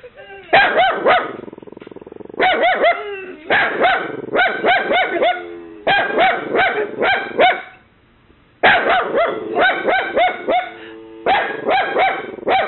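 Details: Mini Dachshund puppy barking at home to ward off an imagined intruder after a knock, with a Boxer present; shrill, high yapping barks in rapid bursts of three to five, with short pauses between volleys.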